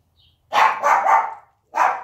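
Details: Siberian Husky puppy sleeping beside its mother, yelping after she accidentally kicks it in her sleep; a short run of yelps, then a pause and one more cry.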